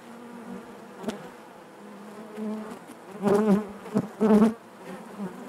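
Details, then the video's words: Inside a honey bee hive a soft, level hum runs under two loud, close buzzing bursts late on, each rising and falling in pitch as a bee moves past. "bees therapy hive natural buzzing sound"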